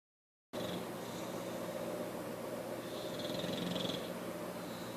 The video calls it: English Bulldog Bugsy snoring